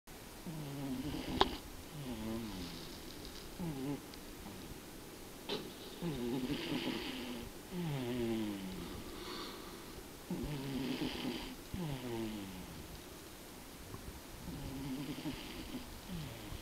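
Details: Tobiko, a pet cat, snores loudly while asleep indoors: a steady run of rasping, wheezy breaths about every two seconds. Each breath has a low rattling in-draw and a hissy breathy exhale. The room is otherwise quiet.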